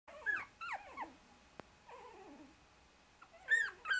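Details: Shiba Inu puppies 24 days old, a brother struggling to escape from under two sisters using him as a pillow; a few short high whimpers and squeals with pauses between, in a quiet room.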